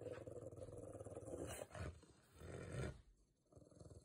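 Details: A Rottweiler growling in an agitated state while still obeying commands; a low, rough rumbling growl runs steadily for about three seconds, swelling and easing, then a quieter rumble near the end.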